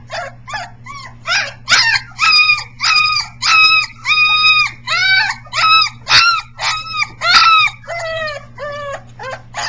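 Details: Three-week-old Briard puppies, the vocal one called #7, practising howling, recorded July 15, 2009; rapid series of short, high, harmonic yelps and wails, some bending up then down, about a hundred per minute, with a steady low hum beneath.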